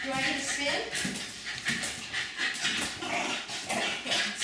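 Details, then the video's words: Jack Russell Terriers Jasper and Jaclyn, two pet dogs, jumping and getting wildly excited over dinner on August 4, 2015; quick high yips and whiny barks burst about twice a second, with people talking throughout. "Jasper and Jaclyn the JRT's jumping, barking and getting really excited over dinner"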